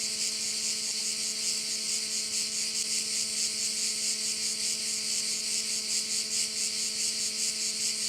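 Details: Crickets heard at a Korčula bay: a steady high-pitched insect buzz with less distinct pulsing, mixed with a persistent low mechanical hum like a distant motor.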